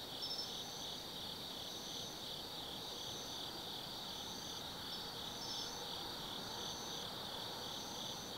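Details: Autumn insects calling after dark in the woods of Tsukimi no Mori, Gifu, Japan: layered high trills hold steady throughout while a brighter chirp pulses at regular intervals of roughly one second.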